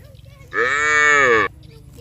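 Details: A cow from a village herd heading to the rice paddies calls its friends with a single loud, even, rich moo of about one second against quiet background noise.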